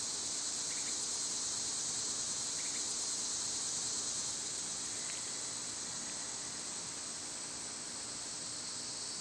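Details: Steady shrill buzz of cicadas on a summer day, holding at one level without a break, while a few short, soft chirps and a faint tick drift in beneath the constant hiss.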